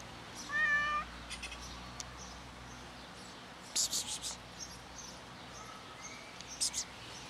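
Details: A cat sitting and waiting for its owner gives one clear, drawn-out meow with a slightly falling pitch near the start, followed by soft clicks, rustles and short bursts of hiss-like noise.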